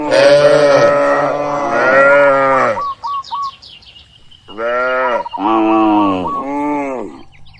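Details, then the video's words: Cattle herded in an oil palm plantation call. Two long, harmonic lows come first. After a lull come three shorter, arched calls in quick succession. A bird adds faint whistled notes in between. "Moo Bunyi Suara Sapi Lucu"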